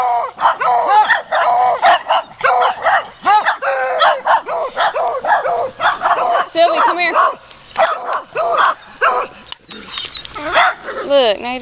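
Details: Muddy puppies on a walk bark and yip excitedly in rapid, overlapping high-pitched bursts, with a few longer whining yelps toward the end, while a person calls to a dog nearby.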